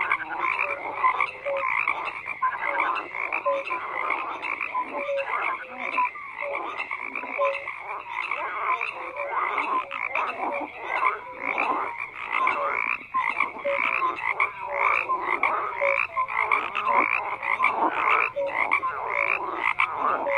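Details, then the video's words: Many frogs croak together in a long unbroken chorus, rough pulsed croaks layered with short piping notes, the level staying even and dense throughout. "FROGS CROAKING"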